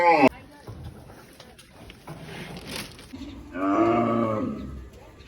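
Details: Cow lowing once near the end, a steady, deep, resonant moo about one second long, after a sharp click at the start and a few seconds of quiet, noisy background.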